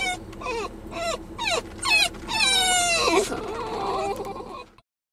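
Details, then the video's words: Several pet Basenjis whine excitedly on the way to their favorite nearby park: a quick run of five high, harmonic, rise-and-fall cries, then a longer wavering yodel-like whine, fading into a lower murmur before stopping. "Whiny Basenjis Headed To The Park"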